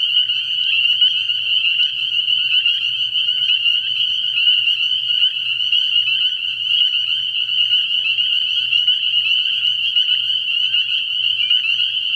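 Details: Spring peepers in chorus at a frog pond on an early spring night: piercing high-pitched peeps pulse densely and continuously, with a low intermittent hum beneath.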